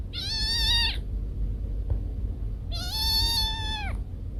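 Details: Pet cat, one of Kiko and Koko, giving two long drawn-out meows, each roughly a second long, held steady and then dropping at the end, with a noticeable rumbling background noise between them.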